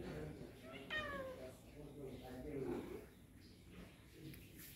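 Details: Indoor pet cats, excited for egg treats and playing with pieces of egg; a single meow slides downward about one second in, amid steady Bengali speech from people nearby.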